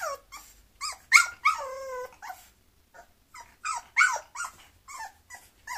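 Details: A Bulloxer, a mixed-breed dog, gives a run of short, high yelps and whimpers, rising then falling. One longer whine with clear overtones breaks the run, and brief silent gaps fall between bursts indoors.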